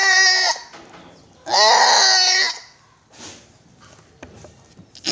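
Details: Goat at a goat farm in Gulbarga, Karnataka, giving two loud, wavering, nasal bleats: a short one, then a longer drawn-out cry of about a second, with low background hiss between them.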